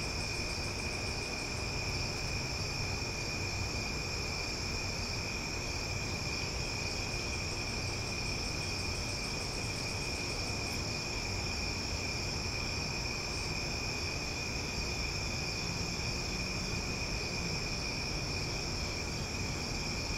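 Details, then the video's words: Loud summer night chorus of cicadas in Omaha: a steady, droning high shimmer throughout. Fast ticking pulses come in the opening seconds, and an isolated click sounds midway, over a light low rumble. "Cicada Sounds for Sleep"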